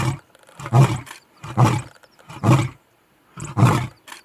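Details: Captive lion in a zoo giving a sequence of four deep, breathy grunting roars, each about half a second long and spaced roughly a second apart.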